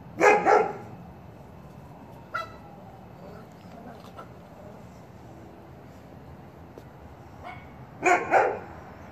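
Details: Big dog barking, a sound that spooks puppies: a loud double bark at the start, a faint short bark near two seconds, a soft one before eight seconds, then another loud double bark. The gaps between are quiet.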